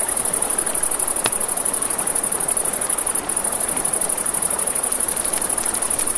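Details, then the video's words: A river at night with a campfire burning: crickets sustain a thin, high, pulsing trill throughout, with a rushing-water hiss beneath and one loud pop from the fire early on. "Campfire by the River at Night Ambience | 1 Hour of Crackling Fire, Crickets, Ambient Nature Sounds"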